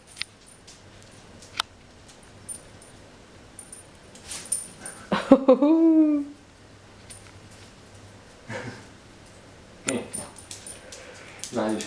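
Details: Dog at the first meeting between Nicole, a 10-year-old husky, and Chester, a 10-week-old French bulldog puppy. A single drawn-out whine of about a second with curving, falling harmonics, surrounded by soft taps, rustling and human voices.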